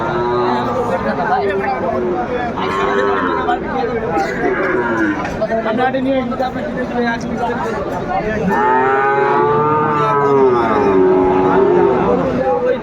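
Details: At a Bangladeshi cattle market in Noakhali, 22 February 2025, where Sahiwal bull calves are sold. Mixed lowing runs under constant haggling voices. A clear drawn-out, wavering moo swells near the end before fading.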